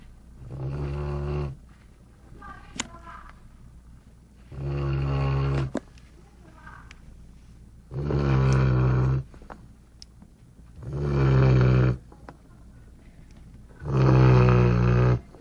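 A Golden Retriever snores deeply, each low rumbling breath lasting over a second, repeating about every three seconds.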